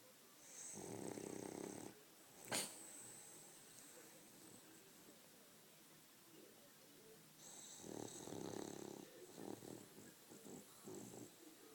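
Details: Sleeping French Bulldog snoring indoors: two broad, raspy snores about two seconds each, roughly six seconds apart, with quieter breathing between, a sharp click near the start, and low room noise.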